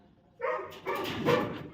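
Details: During crate practice a Labrador Retriever puppy called Jackie barks in two rough, noisy bursts that run into each other and end in a louder yelp, just before being praised.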